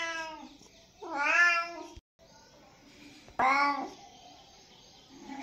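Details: A kitten gives two loud, clear meows, the first rising then sliding down and the second short and bright, over a faint, softer background mewing with a brief silent break between.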